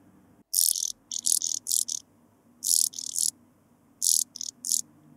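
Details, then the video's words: Sphingonotus caerulans stridulating at Bernstein, Austria, 2 August 2023: clusters of two to four short scratchy, high hissing bursts in quick succession, separated by brief pauses, with a soft low rumble behind. "Sphingonotus caerulans -- Blauflügelige Sandschrecke -- Blue-winged Sand Grasshopper"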